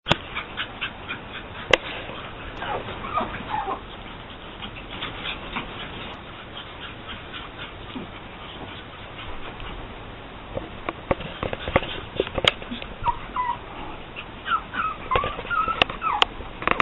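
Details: Female Pug puppy named Sniffles, AKC-registered from champion bloodlines; soft, thin whining notes rise and bend near the end, with scattered tapping clicks and handling noise throughout.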